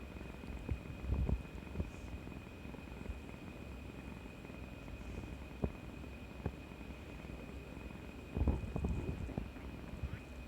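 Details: Kuri-chan, a house cat wanting affection after her injection, recorded 18 March 2020: a long low purr throbbing evenly throughout, broken by short bursts of louder rustling near the start and end, over a faint steady high tone.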